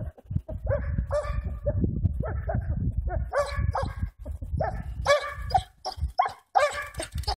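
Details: Hamiltonstövare Pila on a February hare hunt over snowless ground at +4 degrees, still puzzling over the tracks. Steady, drawn-out baying barks follow one another almost without pause, some breaking higher, over a constant low rumble.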